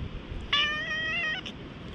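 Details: Wary stray cat rubbing its head against the person in a park at high altitude, recorded with a GoPro HERO8. A single harmonic meow lasts just under a second, level and slightly wavering, above steady background noise.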